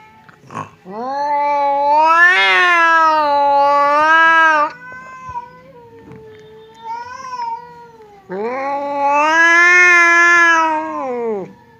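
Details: Two domestic cats, fierce Temon and quiet Lelo, face off across a partition as if about to fight. Two long, drawn-out wailing yowls rise and fall in pitch, separated by a quieter stretch with a faint low moan.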